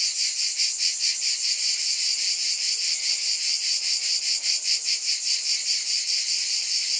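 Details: High, rasping cicada drone from many insects at once, the wall of sound pulsing evenly several times a second for the full stretch, no other animals or noises.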